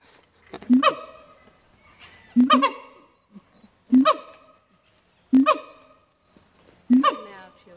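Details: Siamang family song at Dubbo Zoo, female usually starting and male finishing: loud hooting barks with strong harmonics, repeated about every one and a half seconds, with quiet gaps between.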